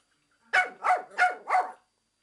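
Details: Japanese Chin barking at the window cleaner: four sharp, high yapping barks in quick, even succession, about three per second, with nothing else audible.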